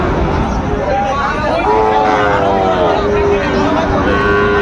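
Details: Amid the buying and selling of Sahiwal bull calves at Dinajpur's Raniganj market on 22 January 2026, steady tonal lows rise above the chatter of traders and crowd hubbub.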